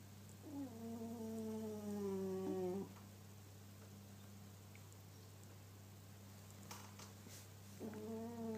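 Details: Sleeping house cat snoring. Long tonal snores of two to three seconds each, with a faint whistle, rise and fall with its breathing, separated by quiet pauses over a constant low hum.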